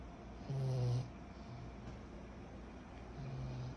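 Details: Kyro, a 14-month-old pug puppy, snores in his sleep: one short, loud, grating snore, then softer low rumbling breaths that rise again toward the end.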